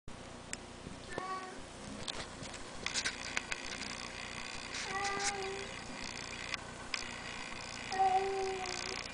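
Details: Bengal cat giving three short, thin meows spaced several seconds apart, each brief and slightly wavering, over steady background rustling and handling noise.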